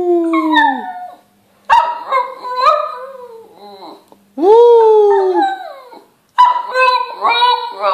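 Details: Shih Tzu dog "singing": drawn-out, tonal, howl-like yowls that slide downward in pitch. They come in several separate phrases with brief silent gaps between them, and a little human voice is mixed in.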